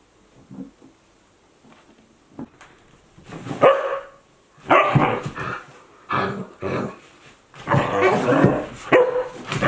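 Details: Two Akita Inu dogs, a 14-month-old and a 2-month-old puppy, playing together; quiet start with a few soft yips, then loud bursts of barking, growling and scuffling in clustered bouts.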